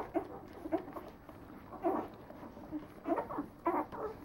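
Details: Nine-day-old Leonberger puppies give short, soft squeaks and grunts in small clustered bursts, several within four seconds, with quiet pauses between them.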